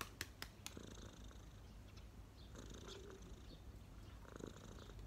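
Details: Domestic cat relaxing on its owner's knees, purring in a steady low continuous rumble, with a few sharp clicks near the start and faint rustling sounds.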